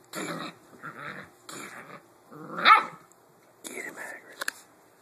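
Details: A 7-week-old Blue Great Dane puppy indoors, playing with a new toy pig, gives rough growls and a sharp bark in short bursts, while a man repeatedly urges him on.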